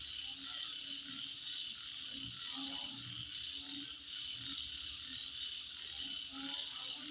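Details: Insects calling at midnight: a steady, dense high-pitched buzzing drone fills the night, topped by short, sharp chirps, while low croak-like pulses repeat irregularly beneath.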